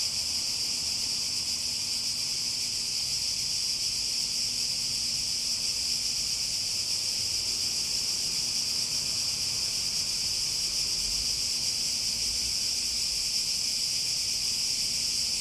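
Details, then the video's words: Cicadas droning in a steady, unbroken high buzz, strongest in one bright band, with a faint low hum beneath and no other clear sounds. "Relaxing Sounds With Cicadas"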